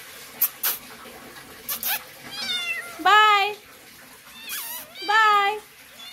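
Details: Domestic cat giving two drawn-out meows, the first wavering and rising then falling, the second shorter and bending upward, about two seconds apart, with a few sharp knocks and clicks beforehand in a quiet indoor room.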